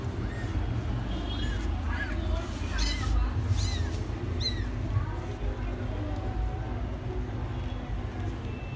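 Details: Three 15-day-old kittens playing together; thin, high mews rising and falling in short arcs, about five spaced over the first five seconds, then quieter, over a steady low rumble.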